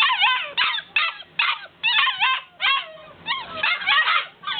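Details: Several Golden Retriever puppies begging to get out, whining almost without pause: overlapping high, wavering yips and whimpers that bend up and down in pitch, coming in short clustered bursts about every half second.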